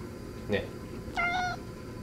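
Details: Shio-chan, a pet cat, talks back while protesting indoors. Two short meows: a brief clipped chirp, then a longer, steady, tonal mew with clear harmonics. Faint room noise underneath.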